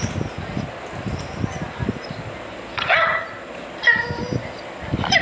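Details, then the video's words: Dachshund giving a few loud, ringing barks near the middle and end, separated by quieter stretches of low rumbling background noise. "FUNNIEST DOG and PUPPY Barking"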